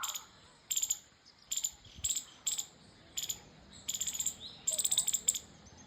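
High, clicky chirps from a squirrel come in short stuttering bursts, several notes at a time. The runs repeat roughly every half second to a second over a quiet background.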